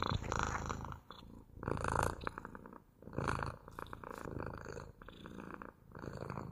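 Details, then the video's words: Domestic cat's purr heard up close, deep and vibrating, rising and fading in regular breath cycles roughly every second, with nothing else audible. "МУРЧАНИЕ | ПОЛЧАСА МУРЛЫКАЕТ КОШКА!"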